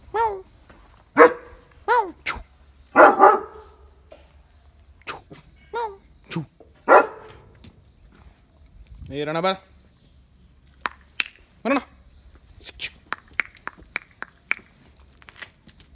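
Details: Pet dogs, a Mudhol Hound named Jimmy and a Great Dane named Rana, at a raw chicken feeding in India. Loud, sharp barks come in bursts, with a rising whine near the middle, and a person speaks between the barks.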